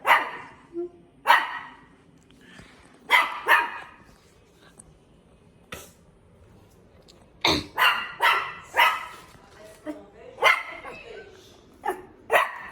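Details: Barking dog letting out irregular single barks and quick doubles, some close together near the end, with quieter gaps and faint speech in the background.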